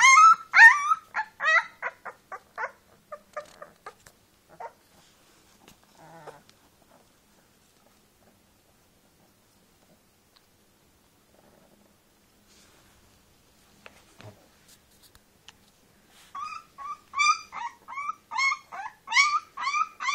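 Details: Teefje, a brown female Leonberger puppy, taking her first steps with her eyes open, gives a fast run of high, squealing whimpers. A quiet stretch follows, then another burst of thin, rising whines close together.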